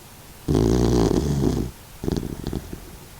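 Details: Sixteen-year-old male senior Doxiepoo, a mixed-breed dog fighting stomach cancer, snoring while asleep: a loud, rough, droning snore lasting about a second, a pause, then a shorter, choppier rasping breath.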